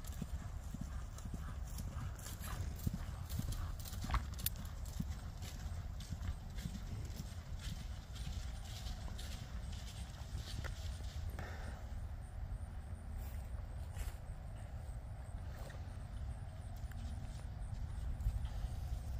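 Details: A Friesian mare under saddle, her hooves beating out a steady, dense clip-clop of sharp knocks over low rumbling noise, with a brief voice-like sound near the middle.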